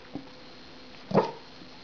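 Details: A five-month-old Shih Tzu puppy in training gives one short, sharp bark on the "speak" command, preceded by a faint softer sound, and is praised.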